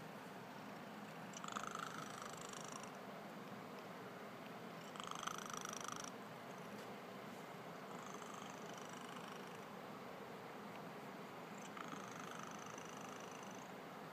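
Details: Cat snoring in its sleep. Faint, high, whistly inhalations come about every three to four seconds over constant low hiss, with two slightly louder breaths early on.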